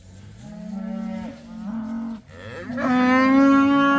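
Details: Cows let out of the barn for the first time, a herd of roughly eighty. Close, loud lowing: a short moo, a dip, then a strong sustained bellow holding one pitch to the end.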